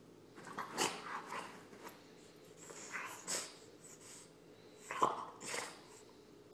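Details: An impatient French Bulldog wanting attention whines in short, uneven bursts.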